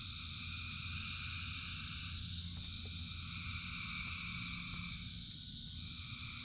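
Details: Frogs calling in the rain as a massed chorus, a continuous shimmering trill in overlapping bands, with low steady rumble and scattered soft clicks of rain throughout.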